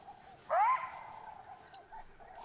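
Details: One loud, upward-sweeping jackal bark rings out near Mosweo's den on Dead Tree Island, raising the alarm for the leopard, followed by a quiet chattering background and a faint high chirp.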